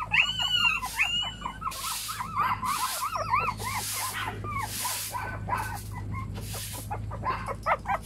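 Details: Several puppies crying together, overlapping squealing yelps that rise and fall in pitch, a continuous chorus punctuated by rustling, scuffling bursts and a low background hum.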